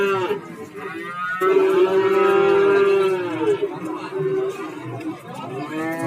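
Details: Cattle at the Warujayeng livestock market in Nganjuk, Indonesia: one long, steady, tonal moo held for nearly two seconds, with shorter overlapping lows from other animals before and after, amid a murmur of market noise.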